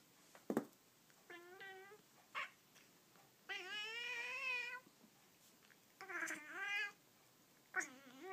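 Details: Three pet Persian cats indoors, impatient while watching a toy held out of reach, give a series of harmonic meows: short upturned mews, then a long wavering drawn-out cry, another sustained meow, and a final rising-falling mew, with quiet gaps between.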